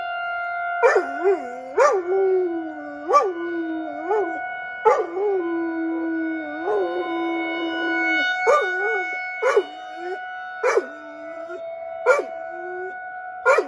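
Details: Weekly tornado siren drill in Rochester, Minnesota, with a pet dog outdoors howling throughout; a long run of wavering howls, each beginning with a sharp yelp, some stretched out for several seconds beneath the droning siren.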